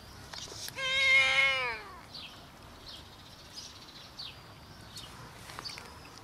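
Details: A homeless cat outdoors, one of four scared strays gathering for food, gives a single loud harmonic meow that rises then falls over about a second, followed by faint chirping birds and light background noise.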